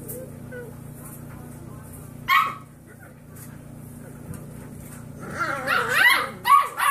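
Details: Six-week-old foster puppies in their learning-to-bark phase having a bark off: one sharp bark early, then a burst of squeaky, wavering yips near the end over a steady low hum.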